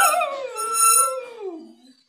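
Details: A Cocker Spaniel "sings" along while its companion plays the harmonica, giving a drawn-out, wavering howl that slowly falls away.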